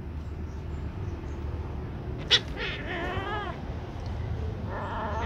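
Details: Black and gray baby kitten siblings tussling, the black kitten clawing to keep its sibling away; a sharp click is followed by a bent, quavering meow, with a fainter cry near the end over low background rumble.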